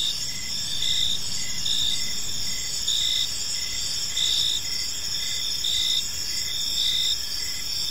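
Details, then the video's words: Crickets chirping in a peaceful park as evening unfolds: a dense, steady high-pitched chorus with pulsed chirps repeating about once a second over continuous trilling, plus faint low background rumble. "Park Serenade: Cricket Sounds in a Peaceful Park | Evening Ambience"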